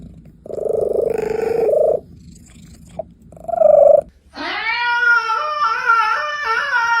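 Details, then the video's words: Domestic cat vocalising: a flat, steady tone held for about a second and a half, a brief chirp, then a longer wavering, harmonic-rich trill rising and dipping, over a quiet, low background hum. "Cats Making the Cutest Weird Noises Ever"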